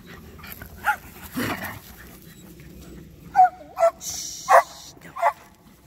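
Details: Dogs at play, a Sheltie being chased by a Labrador: a few short, sharp yips and barks, mostly bunched in the last two seconds, over soft scuffling and background noise.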